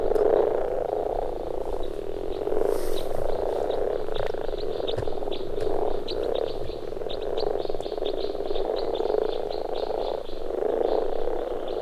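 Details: A dense spring spawning chorus of common frogs at a pond in Finland: males gathered at their birth pond give soft, low purring croaks that overlap without pause, attracting females.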